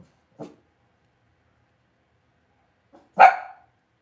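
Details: Cavalier King Charles Spaniel puppies raised indoors in a home puppy pen give two short, sharp barks: a faint yip early on, then a louder, bright bark near the end, with silence between.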